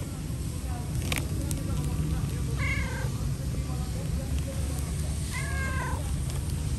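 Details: A cat asking for food, giving two short, bright meows a few seconds apart over a steady low rumble of background noise, with a couple of faint clicks.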